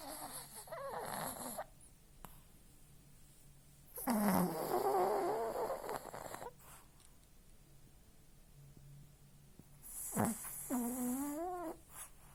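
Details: Fenya, a small, delicate female toy terrier, snores very loudly while sleeping: three long, rough snores, the later ones carrying a wavering nasal whine, spaced about four to six seconds apart with quiet breathing between.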